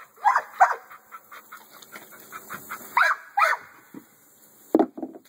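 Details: American Bully barking in uneven bursts: two strong barks, a series of softer yips, another loud pair, then a last deep bark near the end.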